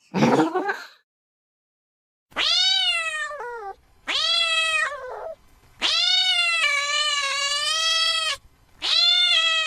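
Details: Cat meows said to scare a baby into sleep and chase away rats: several clear harmonic meows, some falling at the end, one long steady wail, separated by short pauses after an opening noisy burst.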